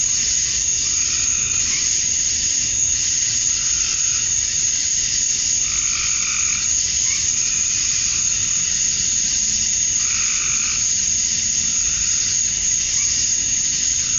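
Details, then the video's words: Summer dusk chorus of male cicadas in Georgia, USA, chirping to draw females; an unbroken shrill buzz fills the air while lower wavering notes come and go in slow waves. "Cicadas at Dusk, Summer Night"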